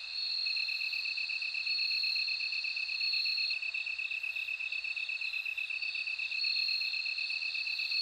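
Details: Bell cricket singing: a continuous high, ringing trill held at two steady pitches, with a brighter tone swelling and fading every few seconds, over a faint wash of higher insect buzzing.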